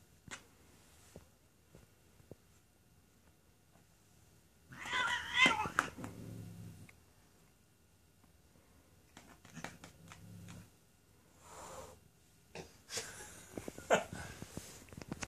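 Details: Female domestic cat named Mia, said to get along with no one and to be hateful toward others, gives two loud bursts of harsh, strained meowing or yowling, one mid-clip and one near the end, with quieter shuffling sounds between.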